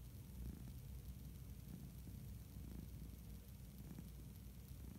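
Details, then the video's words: Low rumbling purr from a sleeping orange tabby domestic cat indoors, steady and even, with slight pulsing in loudness throughout. "Cat Purring"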